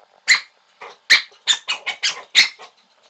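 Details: A black cocker spaniel gives sharp, high-pitched barks in quick, uneven bursts, demanding to be given a beer can.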